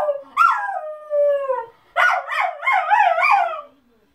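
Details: A household Miniature Schnauzer reacting to people going by: one descending howl fades out, then after a pause comes a quick run of wavering, yodelling howl-barks that end abruptly.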